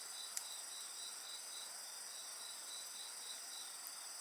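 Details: A loud, even insect chorus fills the air, several high ringing tones layered over a beaded trill pulsing roughly three times a second; one soft fire crackle pops early.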